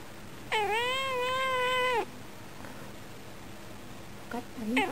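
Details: Female domestic cat at a window, meowing toward birds and answering her owner's voice in a spoilt mood; one long steady drawn-out meow lasting about one and a half seconds, then a short rising meow at the end.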